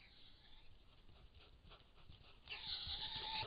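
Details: Roe deer in rut, filmed on 20 July 2016. Faint rustling background for two and a half seconds, then a loud, sustained tonal call with strong stacked harmonics begins abruptly and holds steady to the end.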